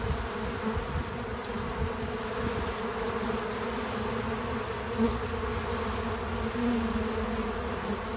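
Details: Droning buzz from bees visiting a feeder, continuous and low, with short humming tones that rise out of the drone around five and seven seconds.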